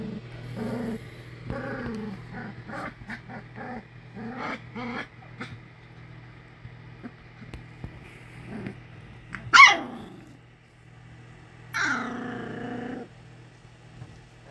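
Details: English Springer Spaniel puppies from Ruby Todd's first litter, the Harry Potter litter of Hagrid, Luna and Bellatrix, giving a run of short harmonic growls and whines, a sharp high yelp near the middle, then a longer drawn-out whine, over a steady low hum.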